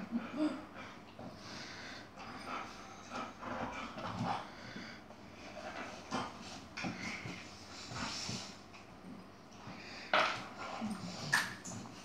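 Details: Yogi the Chihuahua and an Airedale play-fighting, with snorts, wheezy breaths and low growls from the scuffling dogs, plus short scraping noises throughout.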